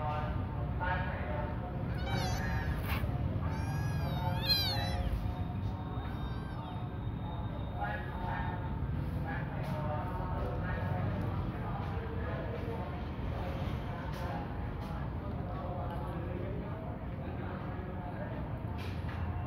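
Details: Crying cat giving several drawn-out meows that rise and fall in pitch, clustered early, over a steady low hum and background voices.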